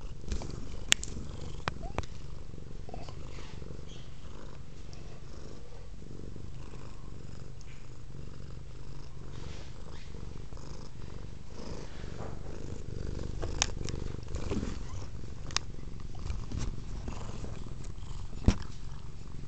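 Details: Velvet, a female pet cat, purring steadily indoors while interested in a cord hanging from a Kodak M1033 HD camera; a continuous low rumbling purr throughout with a few faint clicks and taps.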